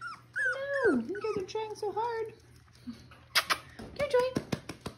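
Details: Miniature Schnauzer pups, six weeks old, romp with their mother at a Mission breeder; loud, bending whimpers swoop down and up several times over two seconds, followed by sharp clicks, scuffling and a last short whine, with a human voice nearby.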